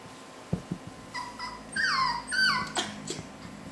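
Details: Male Havanese puppies make high whining cries that slide downward, two longer whines in the middle between faint taps and rustling, inside a quiet room.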